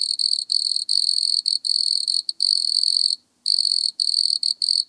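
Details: High continuous purring trill of a wood cricket recorded at Altenberg, Austria, on 9 August 2022, interrupted by short gaps and one longer pause near the middle; quiet background.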